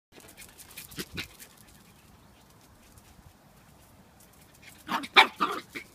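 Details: Havanese puppy named Lexi, just after running a race: a couple of short, sharp bursts early on, a quiet stretch, then a louder cluster of quick, breathy yips near the end.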